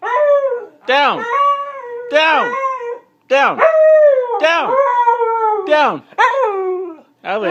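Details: Protesting a command to get down, the Siberian husky Avalanche gives a string of vocal howls, each note swooping up sharply then sliding down, roughly six phrases with short gaps, indoors.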